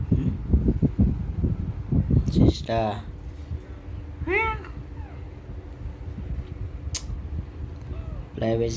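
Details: Domestic cat indoors giving a couple of short, bright meows with rising-falling harmonics amid quiet pauses, preceded by a person talking loudly and a low steady hum in the room.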